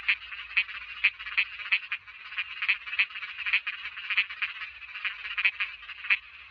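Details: Frogs croaking in a dense, continuous chorus of short buzzy pulses at a steady mid-high pitch, overlapping calls forming a constant rattling background with a faint low hum.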